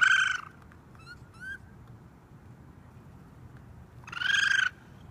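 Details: On a roof, a raccoon baby cries out for its mother. One shrill rasping scream opens the clip and another follows about four seconds later, with faint thin chirps in the quiet gap between.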